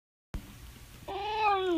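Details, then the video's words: Six-year-old female boxer dog lying upside down in Land O Lakes, Florida, on June 11, 2018, vocalizing in reply as her owner asks what is wrong; after a quiet start, a short tonal whine rises then falls in pitch. "Upside Down Dog Has So Much to Say"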